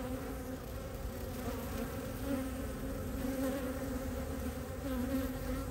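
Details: Close-range hum of honey bees landing at their hive entrance, Ohio, early spring 2023, foragers carrying light yellow maple pollen on their hind legs; an even, steady low buzz with slight wavering pitch as individual bees fly by.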